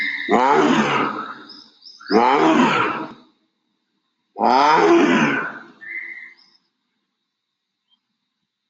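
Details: Adult male tiger in an Indian jungle, walking towards a jeep and growling to announce that he owns the land he walks on: three deep, rasping, harmonic growls, each about a second long, roughly two seconds apart, then silence.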